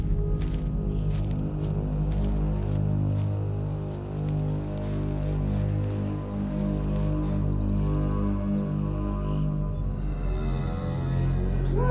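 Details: A low, droning musical score with a steady hum fills the whole stretch. No animal voices can be picked out.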